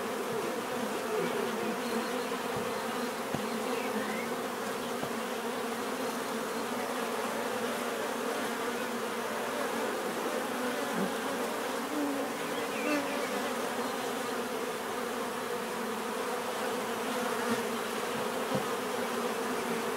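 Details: Steady drone of many bees buzzing together, an even, unbroken hum with stacked low tones and occasional faint clicks or passing individual buzzes rising and falling over twenty seconds.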